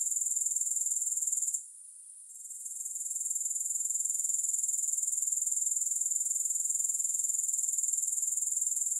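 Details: A thin, piercing grasshopper buzz runs throughout, throbbing regularly about four times a second; the sound dips for under a second around the two-second mark, then rebuilds. No other animals or music.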